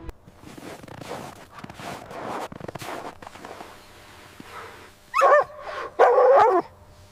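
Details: Mother dog and puppies at play in white winter snow; soft rustling and scuffling at first, then two loud, rough, drawn-out barks close together near the end.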